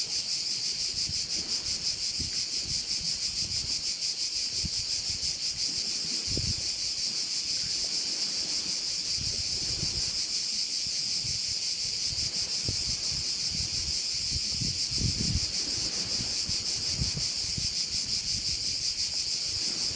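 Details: Crickets chorusing beside a bay on Korčula, Croatia: a dense, shrill high buzz that runs without pause and pulses rapidly throughout, over low gusts of wind rumbling now and then.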